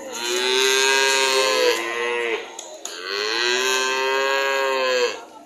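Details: Cattle giving two long, loud moos, each about two seconds, steady and harmonic with a slight fall at the close, separated by a short pause.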